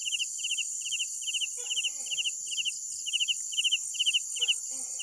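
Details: Night crickets chirping in short pulsed bursts of three to four notes, repeated roughly twice per second, over a steady high shrill insect chorus; a few faint rustling sounds in between.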